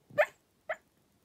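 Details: Cairn Terrier. A Cairn Terrier barks in its sleep, producing two short, muffled woofs with a breathy edge. The second bark is quieter and briefer than the first, and the background is otherwise silent.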